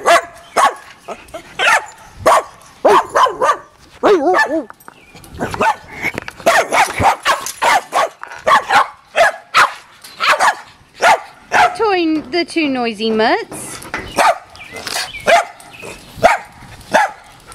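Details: Playing dogs, among them Aslan the pit bull, a mutt and Boston terriers Jeffie and Max, give near-continuous sharp barks and yips, broken by a quick run of falling, whining cries midway, then more rapid barking.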